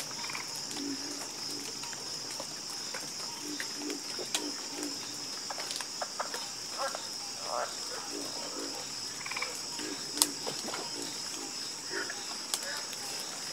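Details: Many frogs croak at night in a calm, continuous chorus of brief repeated croaks, backed by a steady high-pitched buzz of insects and a few sharp clicks.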